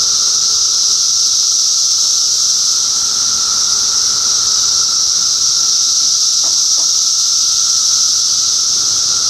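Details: Dense cicada chorus recorded in Middlesex County, New Jersey, during June 2013, a constant shrill hiss layered over a steady whine, broken only by a couple of brief faint clicks partway through.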